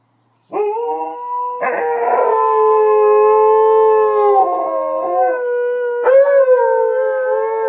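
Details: Two dogs named Luna and Hudson howl in response to a siren, long overlapping tonal howls held steady for several seconds, with voices joining in at staggered moments and a pitch wobble near the end.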